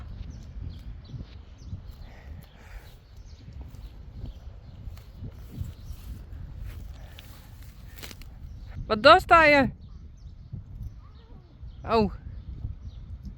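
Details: Friesian horse giving one longer, wavering whinny followed three seconds later by a short second call, after a long stretch of low rumbling outdoor background noise and soft footsteps.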